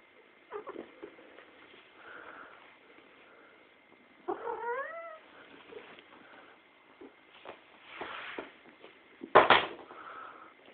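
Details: Pet cat acting crazy and making funny sounds: one short, rising-then-falling meow stands out amid indoor bumps, rustling and a loud clatter near the end, with a faint steady tone in the background.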